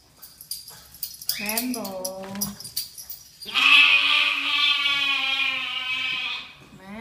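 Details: Owner speaks and calls to a pet lamb, which answers with a long, loud, quavering baa lasting nearly three seconds, rich in harmonics and ending abruptly.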